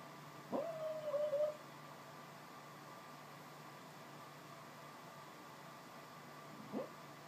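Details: Sleeping female dog Frutiger, dreaming of chasing squirrels, gives one short, high, wavering whine lasting about a second, then long quiet with a steady low hum and a tiny faint squeak near the end.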